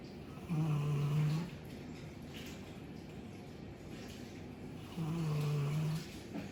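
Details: Chappy, a two-year-old female Labrador Retriever, sleeps and snores as loudly as her dad: two long, deep, rumbling snores about four seconds apart, each near a second long, with softer breathing between.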